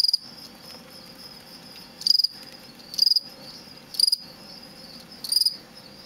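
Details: Captive male fall field cricket (Gryllus pennsylvanicus) in a large plastic bin, offspring of crickets collected from a road verge outside Lethbridge, Alberta, giving aggressive song used in contests: short, high, pulsed chirps about once a second over faint background trilling.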